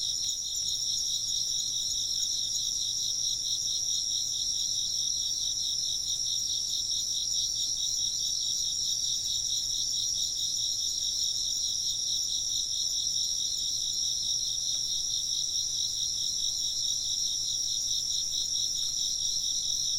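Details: Chirping insects heard as an ambient sound: many callers forming a steady, shrill, high-pitched trill that carries on without break, with faint rhythmic pulsing in the lower layer of the chorus.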